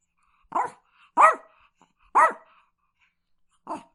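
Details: Chihuahua giving four separate sharp, high yapping barks, spaced about a second apart with quiet gaps between them.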